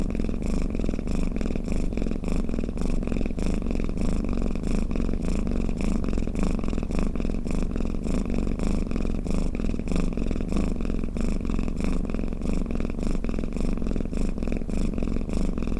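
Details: Snoring house cat purring, meant to make cats drowsy; a long, unbroken deep rumble pulsing about 100 times a minute, loud and near, nothing else audible.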